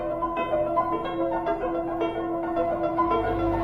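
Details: Steady instrumental music with sustained keyboard tones and no animal voices.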